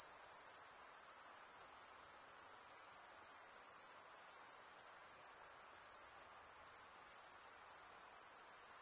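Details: Nocturnal insect chorus, a constant thin, high metallic ringing with slight pulsing texture, steady and uninterrupted, above a quiet low hiss.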